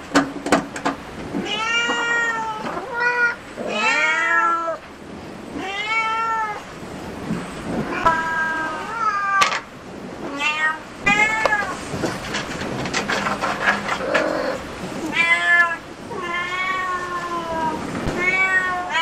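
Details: Cat cafe cats calling in a long run of loud, wavering meows, each arching up then down in pitch, coming every second or two with short pauses; faint clatter in between.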